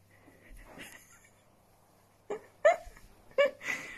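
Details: Pet Dachshund, a sausage dog, giving a few short, high yips with a sharp upward sweep, spaced under a second apart, after a quiet stretch with soft rustling and a faint low hum.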